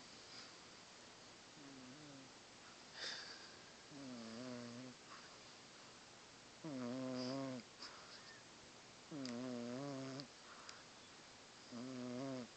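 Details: Sleeping domestic cat snoring loudly indoors: harmonic-rich nasal snores about a second long, recurring every two to three seconds with a wavering pitch, alongside faint background voices and small room noises.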